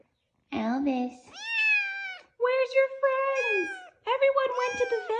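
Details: A very vocal foster kitten, left alone indoors while the other kittens went to the vet, meowing: a series of loud, drawn-out, wavering meows, with a person talking close by.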